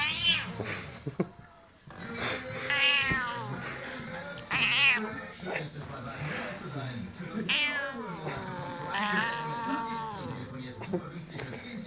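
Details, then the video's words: Male house cat, angry as a hand waves in front of his face, lets out a series of loud, rising-falling yowling meows every second or two, with German speech and laughter mixed in. "coolest angriest cat on the planet"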